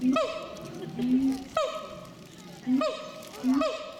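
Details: Siamang at Chiba Zoological Park, 14 December 2014, calling loudly enough to draw visitors at once; harmonic hooting notes, each a low held tone leaping sharply upward, repeated four times in about four seconds, with crowd murmur behind.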